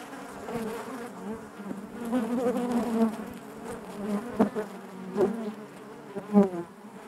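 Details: Massed buzzing of honey bees within the hive, a low steady drone with rich harmonics, broken by several quick close-passing wingbeat bursts toward the end.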